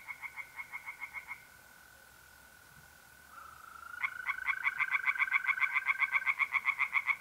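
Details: Singing tree frogs at a pond by night in April, north-eastern Italy: a short burst of rapid croaks, a pause filled by the even trill of mole crickets, then a longer, louder run of quick pulsed croaks.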